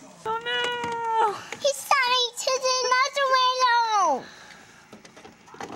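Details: Kitten acting scared during a playful home invasion, a long drawn-out wailing meow that rises then falls away over several seconds, followed by a human voice.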